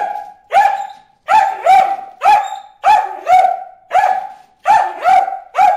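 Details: Bruce the dog yapping at fish in the water hole, quick excited barks following one another almost without pause, often paired, each with a sharp onset and a clear ringing tone.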